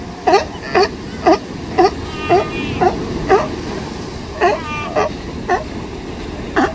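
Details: Sea lion mother at a California beach barking very loudly, a steady series of short, harsh, descending barks about every half second over constant ocean surf.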